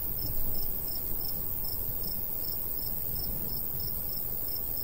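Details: Crickets chirp regularly in the summer countryside next to a golden wheat field. Bright, high pulses repeat about every third of a second against a low, continuous breeze.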